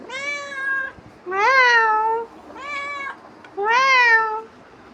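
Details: Pestering house cat just back from wandering, four drawn-out meows in close succession, each rising a little then sliding down, evenly strong and clear in a quiet room.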